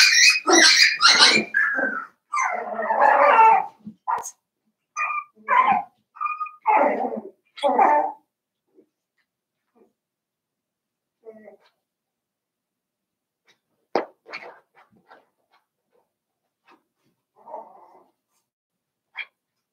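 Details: Cavalier King Charles Spaniel puppies, seven weeks old, in a household pen: a rapid run of overlapping whines and yelps for about eight seconds, then scattered faint squeaks and small noises among near silence.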